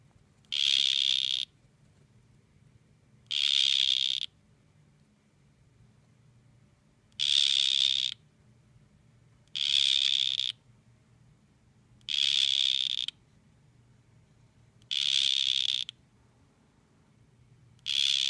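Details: Two male dart frogs face off while one repeats a sharp, high buzzing trill seven times, each burst under a second, evenly spaced about every two and a half seconds, with only faint room hum between.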